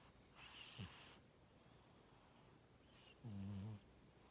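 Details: Pet cat Tora asleep and snoring: a short airy wheeze followed by a low, buzzing snore about two and a half seconds later, against a hushed indoor background.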